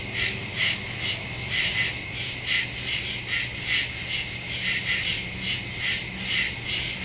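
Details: Woodland crickets after dark, September 2, 2023, recorded by phone with a Shure MV88+; shrill pulsed chirps in quick repeated bursts, a few louder callers standing out from the dense high chorus.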